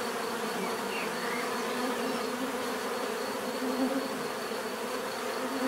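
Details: Continuous buzzing of bees, a thick unbroken hum from many insects with occasional louder passes of single bees drifting in pitch.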